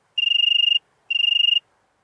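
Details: European tree cricket singing in Venezia, Italy, on 2 September 2021: two clean, ringing trilled bursts of about half a second each, separated by a brief pause, with a very faint background.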